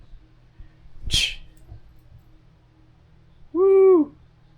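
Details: Cat named Zena or Zinn playing fetch at home: a sharp thud, then one loud, clear meow that rises and falls over about half a second, with soft voices nearby.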